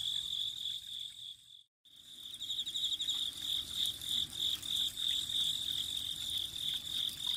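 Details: Insects singing in autumn near gurgling spring water: a continuous shrill trill with fast pulsed chirps, briefly cut to silence near the start before the chorus resumes strongly.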